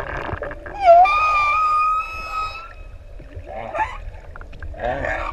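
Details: Humpback whales, six adults playing in open sea off ʻEua, Tonga, sing close to swimmers: a rising tonal whoop leads into a long steady high moan with overtones, then low grunting rumbles and bubbly underwater noise.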